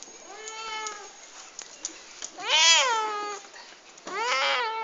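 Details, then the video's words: Household cats calling at morning breakfast time indoors: three clear harmonic meows, the first level and long, the next two louder, arched and rising then falling, with a woman speaking Italian nearby between calls. "My "goodmorning" cats :) Aton makes funny sound"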